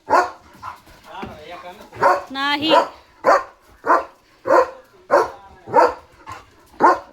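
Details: German Shepherd dog barking at a flock of sheep that has come to the door, a steady series of loud, sharp barks about every half second, with a person talking in Marathi over them.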